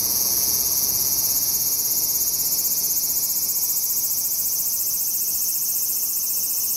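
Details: Large brown cicada in autumn, squeezing out its final calls after summer: loud, unbroken frying-pan sizzle high in pitch, with a faint rapid pulsing texture and steady volume.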